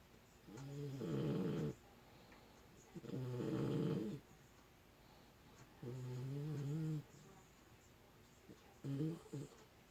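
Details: Sleeping puppy snoring indoors: four rough, throaty snores about a second long each, buzzing low and coming every two to three seconds, separated by quiet pauses.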